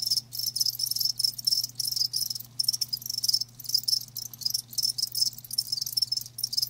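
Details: High, rapid cricket chirping in pulsed bursts roughly every half second, separated by short gaps, with a constant faint low hum beneath the insects.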